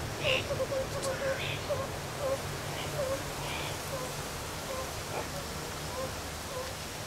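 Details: Captive meerkats playing and relaxing at Zoo Rostock, Germany, July 2014, filmed with a Sony HDR-CX550; quick bursts of short, clipped peeps come in clusters, then space out into single chirps over a steady low background hum.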